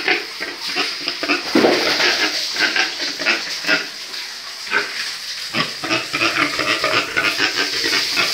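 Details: Breeding pigs kept on a farm, several animals heard together: a steady stream of short, harsh, noisy grunts and squeals, overlapping and irregular, with a few louder bursts, over a constant hiss of background farm noise.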